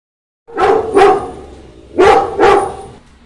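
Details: A Labrador Retriever barks at a walking elephant, giving four deep, loud barks in two quick pairs.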